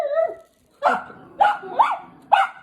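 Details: Several household dogs, including a puppy, bark indoors in short, sharp bursts about every half second, one starting with a brief whine.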